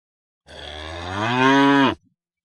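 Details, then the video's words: Cow in a grazing field calling to the others: a loud, steady moo of about 1.5 seconds, deep and evenly pitched with a slight rise, growing louder toward the end before ending cleanly. "The Sound of Cows Calling their Friends Moo"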